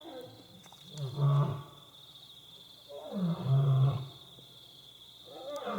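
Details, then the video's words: Two wild lionesses roaring in the middle of the night outside staff quarters at Bilimungwe Bushcamp; deep, low grunting roars swell and fade roughly every two to three seconds over a steady high insect drone. "Sounds of Lions Roaring"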